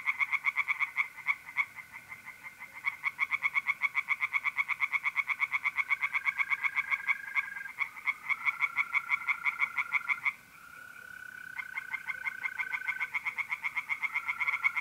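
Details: Tree frogs calling from a pond by night in mid-April, North-East Italy, in a long, almost continuous rattle of rapid croaks with one brief drop, backed by the steady buzzing trill of mole crickets.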